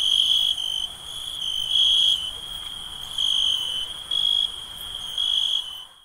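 A steady, shrill insect chorus trills at night, swelling and easing in loudness every second or so.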